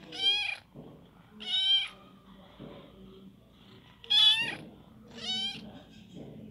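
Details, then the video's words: Little kitten giving four loud, high, harmonic meows roughly every one to two seconds, each rising then falling, with quiet room noise between. "LİTTLE KİTTEN MEOWING"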